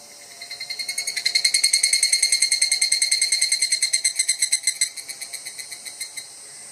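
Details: Evening cicada (higurashi), recorded at very close range, a species of Japan and mainland China whose call is rendered kana-kana or kan-kan. A rapid run of bright, metallic, high-pitched pulses swells in and then fades away over about five seconds.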